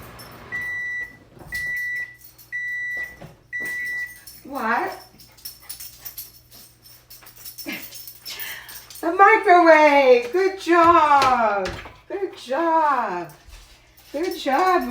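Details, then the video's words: Eight-month-old Shih Tzu mix puppy indoors, alerting its owner to the oven timer and microwave. Four steady electronic beeps, then the dog's rising-and-falling, howl-like yelps and drawn-out whines, with the owner praising it between them. "8 MONTH OLD PUPPY ALERTS to MICROWAVE & OVEN TIMER"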